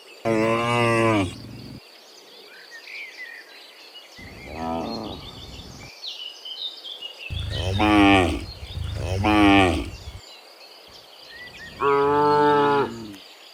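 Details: Dozens of cows walking home from the fields to the pen in the afternoon while being herded; a series of six moos of varying length and pitch, some close together, with bird chirps in between.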